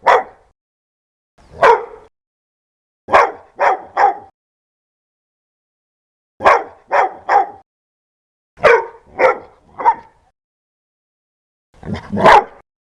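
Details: Fierce, loud dog barking: single harsh barks, then bursts of three quick barks separated by pauses of a second or two, ending in a rough double bark; no other sounds, silence between bursts.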